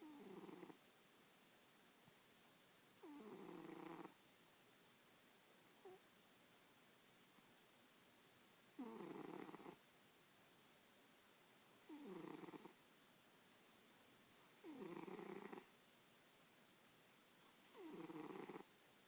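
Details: Pet cat asleep on a person's lap indoors, snoring steadily: a regular train of short, harsh, wheezy breaths about every three seconds, with silence between them.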